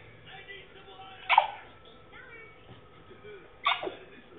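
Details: Male French Bulldog making funny noises while trying to bark: two short, harsh, sneeze-like huffs, each dropping in pitch, about two and a half seconds apart, with a quiet indoor hum between them.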